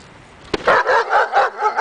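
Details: Daja the dog during agitation table training meant to build confidence and barking; a sharp click, then a run of quick, high, yelping barks, about five in under two seconds.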